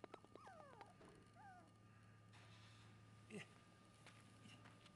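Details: A male sesame Shiba Inu puppy, born 20 December 2011 and recorded 17 January 2012 at about four weeks old, gives a few thin, high whimpers that slide downward over a steady low hum.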